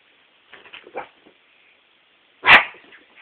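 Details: A small white dog named Evie gives one loud, abrupt bark indoors while reacting to a hairdryer. Faint soft rustles and murmurs come just before it.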